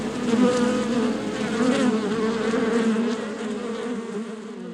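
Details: Honey bees in a beehive, a swarm making a low, continuous drone that swells and eases slightly without pause, many wingbeats blending into one warm, humming tone.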